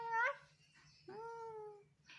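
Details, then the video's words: A baby male monkey makes sweet sounds to get his mother to comfort and hug him: a short rising squeak, then a long, clear, slightly falling tonal coo, over a faint low hum indoors. "Adorable Baby Monkey TORO Makes Sweet Sounds To Get His Mother To Comfort And Hug Him"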